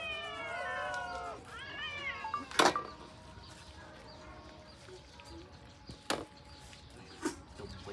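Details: Cat giving two drawn-out, slightly wavering meows in the first two seconds, followed by sharp clattering knocks and a person speaking Khmer in a quiet room.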